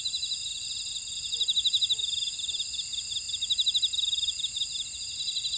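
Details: High insect chorus from a Jeju buckwheat field at Oradong, South Korea, with a trilling caller pulsing rapidly over constant shrill tones; a couple of faint low chirps appear briefly mid-clip.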